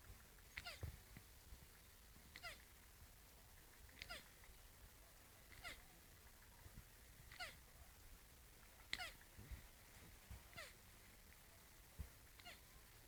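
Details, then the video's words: Turtles fooling around while mating make quiet, brief descending squeaks, repeated roughly every one and a half to two seconds, with scattered clicks and a steady low hum behind. "Turtles get intimate. Funny sound"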